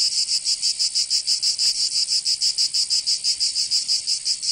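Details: Provençal cicadas in summer, southern France: loud shrill buzzing broken into clear, evenly spaced throbs near three per second, nothing else audible.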